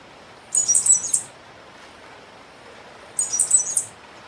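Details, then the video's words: Cigarra-do-coqueiro, also called black cicada, singing constantly: two matching shrill, high buzzes, each a rapid chain of pulses lasting about 0.7 seconds, roughly 2.5 seconds apart, with quiet hiss between. "CIGARRA DO COQUEIRO CANTANDO MUITO"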